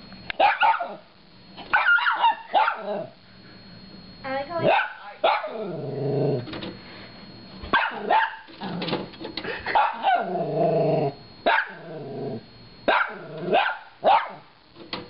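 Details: Chewie, a small Shorkie dog kept as a pet indoors, barks at a DVD player in short sharp bursts with growly whines between them, while a person talks over the noise.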